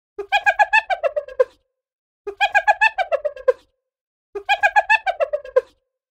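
A spotted hyena gives its famous laugh: rapid, staccato yelping notes, about eight a second, that start high and slide downward. Three matching bursts come roughly two seconds apart with silence between.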